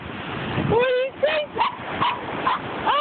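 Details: Zeus, a five-year-old Norfolk Terrier, barks at the waves on the Atlantic Ocean on July 8, 2011, final shuttle launch day, phone-recorded: short, tonal yips roughly twice a second over steady surf roar, with a person's voice between.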